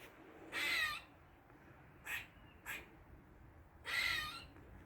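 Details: Squirrel making weird noises in a Dublin garden, forenoon of 16 August 2023: two longer hoarse, wheezy squeals framing two brief raspy chucks, over a quiet background.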